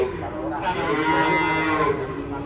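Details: Cow stuck in a muddy ditch in Indonesia after rampaging off a truck utters a long, rough moo while bystanders talk and call out around it.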